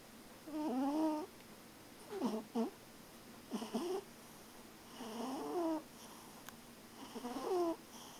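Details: Cat snoring while sound asleep: short, wavering nasal snores in an uneven rhythm, some broken into two quick parts, with quiet pauses between them in a still room.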